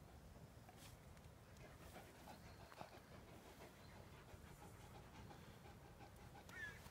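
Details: Tornjak, the Bosnian-Croatian sheepdog and livestock guardian breed, out on a walk by the Drina river alongside a Bukovina Shepherd dog; steady, breathy, rhythmic panting in quick soft pulses over a low rumble of outdoor ground noise.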